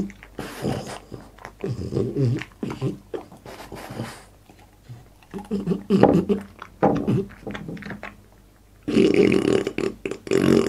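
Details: French Bulldog named Boss eating for an ASMR mukbang indoors: rapid, irregular chewing and slurping clicks with throaty growl-like grunts, a quiet gap near the middle, then loud munching resumes.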